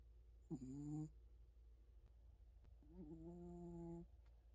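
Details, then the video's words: Maltese dog asleep with its mouth open, snoring: two nasal, humming, steady-pitched snores, a short one and then a longer one lasting over a second, in a quiet room. "입벌리고 코골며 자는 말티즈"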